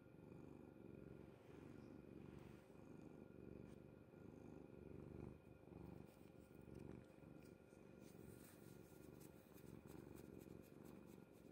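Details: Domestic cat sleeping soundly on a bed, purring indoors: a low, steady rumbling purr that runs without a break for the whole stretch, made of fine rapid pulses, with faint soft clicks near the end in a quiet room.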